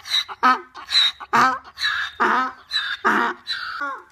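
A donkey gives a harsh, honking bray in quick rhythmic bursts, wheezy intakes alternating with loud blasts.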